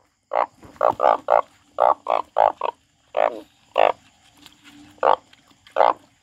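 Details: Frog croaking in clustered bursts of short, rasping notes, several quick calls in a row, then slower single croaks spread over six seconds, with a faint steady hum in the background.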